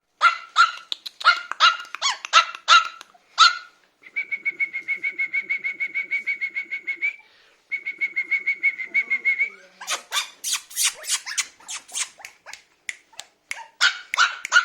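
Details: Biewer terrier puppy yapping: bursts of rapid, shrill, high yips, then a long stretch of fast pulsed squeaky whining, then more quick yips.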